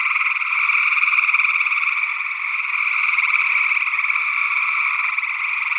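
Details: Gray tree frogs calling in Northwest Wisconsin in early June 2022, recorded with a matched pair of small-diaphragm condenser microphones in ORTF. A dense, continuous chorus of overlapping buzzy trills with no pauses, possibly with another unidentified frog species mixed in.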